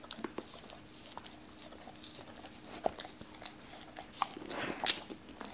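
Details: Cola, a Doberman, eats raw chicken for the first time, wary at first and then eating the pieces once cut. Soft scattered crunches and bites, with one sharper snap near three seconds, over a faint steady indoor hum.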